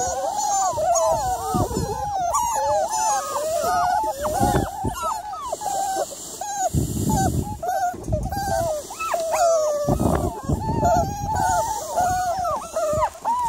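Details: Miniature Labradoodle on the evening of 3 July: dense, overlapping whimpers and yelps rise and fall almost without pause, while low thuds and rustling break in every few seconds.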